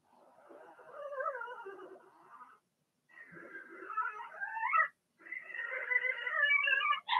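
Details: Six Blenheim Cavalier King Charles Spaniel puppies from Remy's first litter, housed in a home puppy pen amid potty training; three long, wavering cries that climb in pitch and loudness, each ending abruptly.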